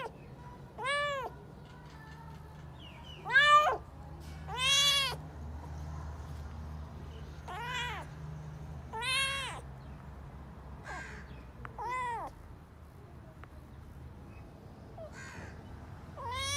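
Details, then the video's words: Stray cats asking for food, giving about ten separate meows, each a short arched wail rising then falling, spaced irregularly every one to two seconds over a steady low hum. "cats meowing sound effect"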